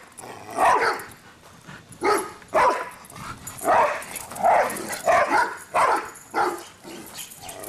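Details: Cinder and Zoe, two dogs, bark while running around together, giving strong, rough, mid-range barks about every half second to second, some doubled, with faint whimpering edges and no other clear sounds.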